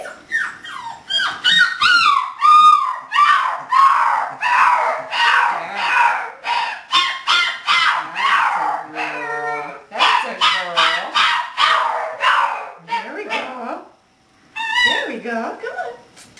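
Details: Macy, a six-week-old English Springer Spaniel puppy from Star's litter, born 11-3-10 and filmed 12-14-10 during obedience training, gives loud, high, rapidly repeated whining yelps with sliding pitch, nearly nonstop, with one brief silence near the end.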